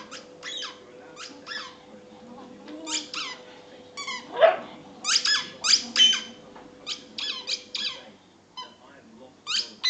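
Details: Patterdale terrier desperate for the ball keeps up high-pitched squeaking whines in quick bursts, with one lower yelp midway and a steady faint tone in a small room.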